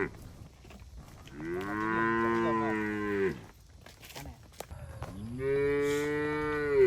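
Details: {'caption': 'Cattle being herded through forest toward the shed, jumping happily; two long, drawn-out moos, the first lasting about two seconds and holding a steady pitch, the second swelling up and sustained, with quiet rustling between them.'}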